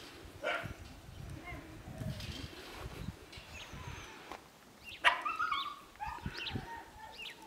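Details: Five-week-old Siberian Husky puppies from the litter of Karma and Deeks whimper in short, scattered tonal cries, with a sharper yip midway and several brief squeaks after it, against a background of low thumps and rustling.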